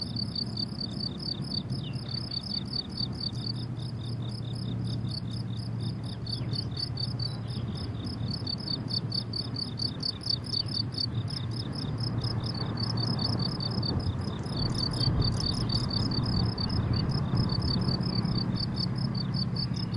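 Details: Crickets in a flowering summer meadow sing continuous trains of sharp, high chirps, roughly two per second, overlapping callers, while low wind-like rumble swells toward the end.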